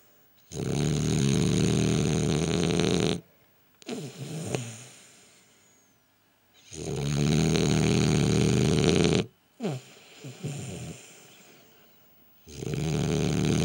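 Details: Gilbert the French Bulldog, sleeping, produces long roaring snores of about two and a half seconds each, separated by short snorty, wheezing inhalations, in a steady rhythm of three snores.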